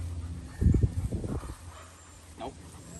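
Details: German Shepherd named Jax in an aggression training session on 08/03/24: a tight burst of rough, low, pulsed barks over about one second, then a faint short higher sound, over a steady low hum with handler commands nearby.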